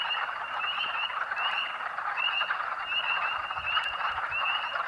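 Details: Massed spring peepers at Rothrock State Forest, Huntingdon County, Pennsylvania, March 11, 2012, heard from nearly half a mile away: sharp rising whistled peeps at irregular intervals over a thick continuous frog chorus.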